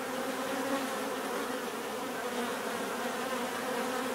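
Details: Continuous natural buzzing of bees forms a thick, even hum layered with a higher whine, as if many insects fly together, the loudness barely changing from start to end.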